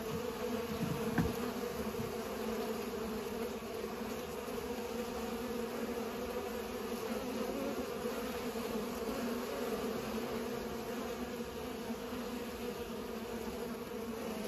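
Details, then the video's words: Pollinating bees produce a dense, continuous hum with layered low tones, waxing slightly as individual bees pass close, and a single tap early on. "Bees are pollinating"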